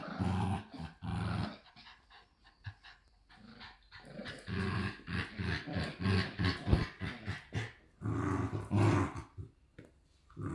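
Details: Two Shiba Inu puppies growling at a breeder in the Netherlands; deep growl bursts open and close the passage, with a noisier, higher scuffling stretch of play sounds in between.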